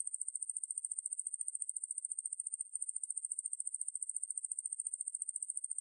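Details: Ruspolia lineosa katydid, recorded in 2020 for the National Institute of Biological Resources, producing a continuous very high, thin buzzing trill with fast, even pulsing and a brief falter near the middle; otherwise clean and quiet.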